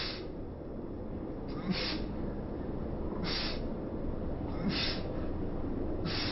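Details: Sneezing fit from Chibi-chan, a cat suffering a cat cold and prone to illness from going outside; four short explosive sneezes or snorts spaced about one and a half seconds apart over a low indoor hum.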